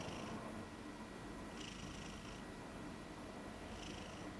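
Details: Soft snoring from a chubby female Maine Coon dozing on a bed, a cat usually wary of people. Quiet airy breaths recur roughly every one to two seconds over steady background hum.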